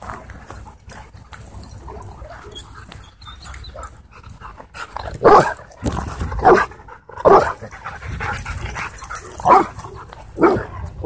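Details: Husky playing with challenging dogs at a dog park: quiet stretch, then loud rough bark-like bursts from about five seconds on, spaced irregularly, over steady outdoor background noise.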